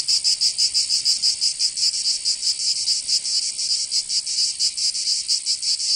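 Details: In a Provençal summer in southern France, cicadas keep up a piercing high rasp, throbbing in uneven waves of loudness over a steady buzzing hum.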